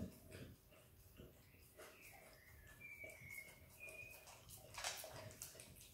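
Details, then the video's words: Izzy, a happy Australian Kelpie x Border Collie puppy, licks and eats peanut butter: irregular wet smacking and clicking mouth noises, with a thin high whine gliding through the middle and a louder burst of licks near the end. "Happy puppy dog licking peanut butter!! Dog licks & eats peanut butter ASMR!"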